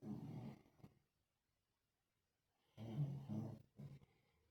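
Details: Lhasa Apso dog sleeping and snoring, its breed known for heavy snoring; low rough rasping snores in two bursts separated by a silent gap of about two seconds.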